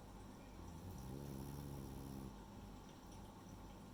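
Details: Sleeping female French Bulldog named Rei lets out a single low, buzzing snore lasting just over a second, its rough hum of layered tones rising and falling over a soft, steady background rush.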